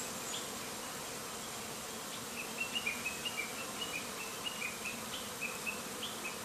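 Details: Japanese honey bees in their first 40 days of keeping fly restlessly around the hive entrance, panicked by heavy smoke from a bonfire 10 m away. A dense, steady buzzing hum runs throughout, with short high chirps repeating in the second half.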